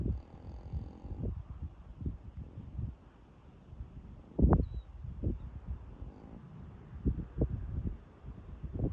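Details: A huge Angus cow, sound asleep on a nice day, snores in low, rasping breaths that rise and fall about once a second, with one sharper, louder snort midway.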